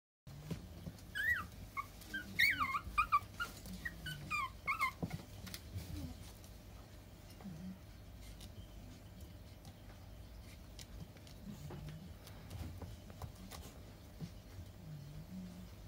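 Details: Male puppy offered for sale indoors, giving a burst of short high whimpering squeaks over the first five seconds, then quieter low snuffling and faint whines in a small room.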